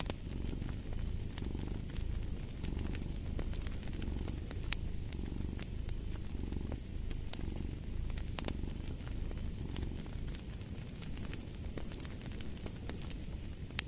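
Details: Continuous low purring of a cat, rising and falling with slow breaths, mixed with frequent crackling and snapping from a burning fireplace.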